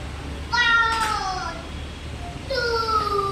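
Two separate tonal cries come from a Siberian Husky, each rich in overtones and falling steadily in pitch over about a second. The second cry starts lower than the first, giving a moaning, talkative quality.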